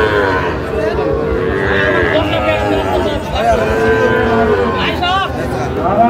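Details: Sahiwal bull calves bawl at a crowded cattle market in Kushtia, Bangladesh, on 24 April 2025; stretched, quavering moos run through nearly the whole stretch, mixed with men haggling and background chatter.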